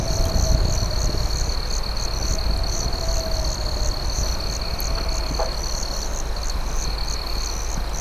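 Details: A nighttime chorus of crickets: a high, even trill with regular pulsed chirps layered above, set against the snapping of a campfire and a heavy low hum.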